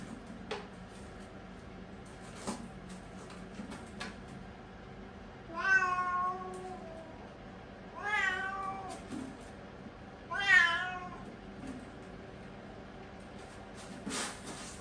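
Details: Three-year-old Siamese cat, potty trained, meowing from constipation while using the toilet indoors: three drawn-out, harmonic-rich meows spaced about two and a half seconds apart, each rising then falling, with faint clicks and rustling between.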